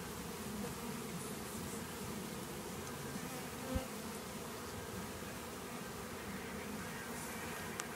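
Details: A dense, steady, low drone of many western honey bees buzzing continuously during a cutout of their hive from an old hot water tank.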